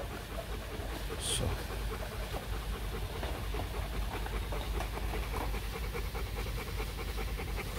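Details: Steady rhythmic panting from Bruno, a male Rottweiler breeding dog kept at a kennel in Thúy Lĩnh, Hoàng Mai, Hanoi. Rapid breathy puffs run throughout over a low hum, with one sharp click early on.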